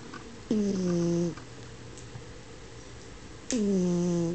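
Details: French Bulldog asleep, letting out two nasal, whistly snores three seconds apart, each lasting under a second with a sharp start and a level, buzzing tone, against a steady background hum.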